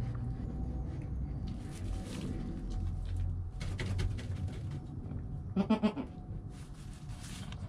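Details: Newborn goat kid Joel, within an hour of birth, with his calm mother Penny, filmed on a GoPro: one short, quavering, pulsed bleat near the end, after a stretch of low rumbling background and soft rustling.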